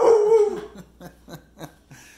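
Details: Zeusy, a pet pit bull, 'talking' indoors to ask his puppy brother to play: a loud, drawn-out whining howl that slides downward, followed by four short, soft grunting yips spaced about a third of a second apart.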